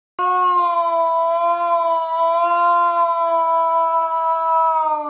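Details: Siberian Husky with an unusual voice giving one long, steady, unbroken howl held at an even pitch for about five seconds, rich in overtones, with no other sounds.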